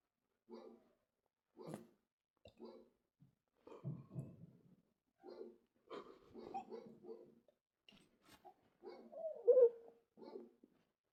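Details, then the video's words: Dog making a series of short barks and yelps separated by brief silences, with a higher whining note near the end. "dogs making noise"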